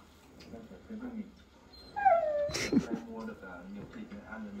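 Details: Beagle at home whimpering to say it wants to play: a single high, falling whine with bright harmonics, followed by a short sharp sound and a person's quiet voice in the background.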